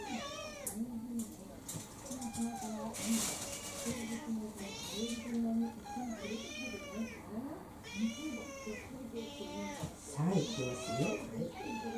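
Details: Dinner-demanding meows from Kurumi, a four-year-old orange tabby mixed-breed pet cat, come in a rapid, nearly continuous series of bent, wavering cries, a few rising into higher wails, with soft human speech behind.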